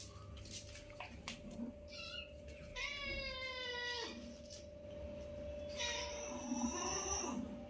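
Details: Newborn kitten meeting and playing with its mother for the first time, one of a litter of five; a loud, long harmonic meow rising then falling, followed by a second drawn-out meow, over a steady hum and light handling noises.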